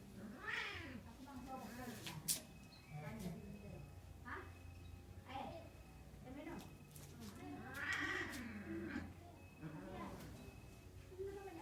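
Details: Mating cat giving repeated arching yowls and meows, each drawn out about a second, rising then falling, coming every one to two seconds, with a constant low hum and occasional sharp knocks.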